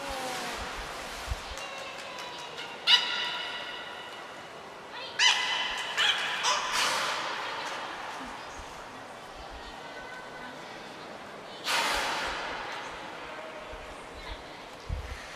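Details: Beluga Niko, training at Port of Nagoya Public Aquarium in Japan on 25 February 2024, produces scattered bursts of rapid clicky, buzzy pulsed sound mixed with brief tonal notes, heard against a reverberant indoor background.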